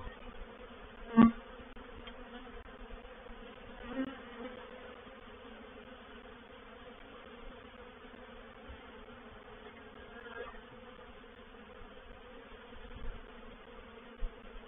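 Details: Reproductive swarm of honey bees entering a bait hive at Painted Peacock Manor, 04/07/21. A continuous droning hum with a few scattered knocks and short louder bursts.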